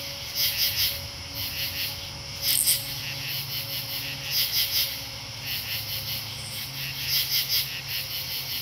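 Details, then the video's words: Katydids in Marlborough, Connecticut, recorded August 8, 2011: repeated harsh high triple-pulse calls, several overlapping singers at different loudness, over an unbroken shrill insect background and faint low hum. "Katydid Soundscape - Marlborough, CT Aug 8 2011"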